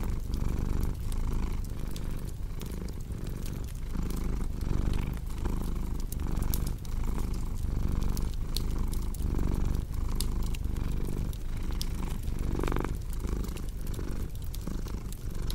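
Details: Steady low purring of a cat, rhythmic pulses repeating about every second as it breathes in and out, layered with frequent crackling snaps from a fireplace.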